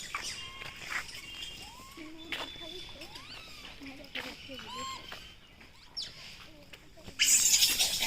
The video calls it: A group of monkeys making noise